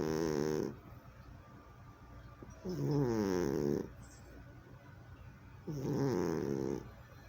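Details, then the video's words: Snoring from a sleeping cat, recorded in 2020: grating, harmonic inhalations about a second long, recurring every three seconds or so, with near silence between them in a quiet room. "Snoring Cat Returns!"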